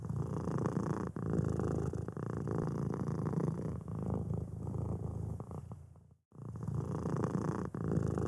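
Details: A white, fluffy kitten purrs steadily while scratching its ear, a low continuous rumble with rapid pulsing throughout. Finding: Cat.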